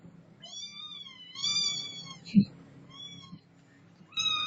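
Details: Domestic cat meowing indoors: a long drawn meow, then a louder wavering meow, a short one and a final rising meow, with a woman speaking Filipino nearby and a thump in the middle.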